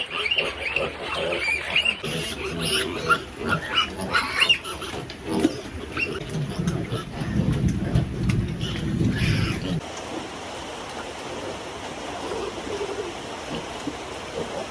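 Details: Domestic sow on a backyard piggery farm being cleaned and fed: low, rumbling grunts build from about six to ten seconds after a stretch of mixed clattering and scattered noises, then give way to a steady hiss to the end.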